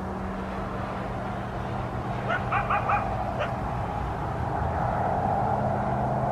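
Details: Around 5 am Christmas morning in southern Arizona, a coyote gives a quick burst of four or five clipped, yelping barks in a row, then falls quiet, with a droning low hum throughout.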